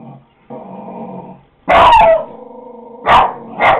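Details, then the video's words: Pet dog Coco indoors barks at a dog shown on a computer: low harmonic growls between three loud, sharp barks, two of them close together near the end; filmed with a Kodak DX4530 camera. "Coco Barking at a dog on computer"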